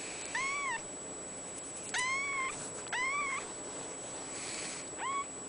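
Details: Four clear, plaintive meows from a blue point mitted Ragdoll kitten, a young male at a cattery, dated 02/28/14; each cry swoops up and slightly down, the last one shorter, with a steady thin electronic whine underneath.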